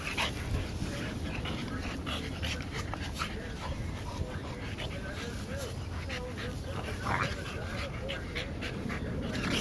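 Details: Olde Boston Bulldogge pups, two brothers and a sister, one year eight months old, playing together in July 2012; low wavering whines and grumbles rise and fall midway, over a steady hiss with scattered clicks and a human voice.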